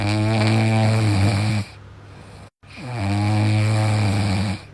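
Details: Dog snoring loudly, each long buzzy inhaled snore holding steady low harmonics for about a second and a half, then a quiet pause before the next rumbling snore begins.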